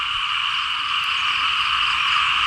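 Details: Rainy-season frog chorus over rice fields in Laos: many frogs and small frogs croaking at once, forming a continuous shrill, buzzing wall of sound that swells slightly toward the end.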